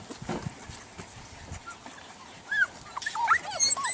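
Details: Golden Retriever puppies, several together: after a quiet start with soft rustling, a burst of high, curved whimpers and squeaky yips crowds the last second and a half.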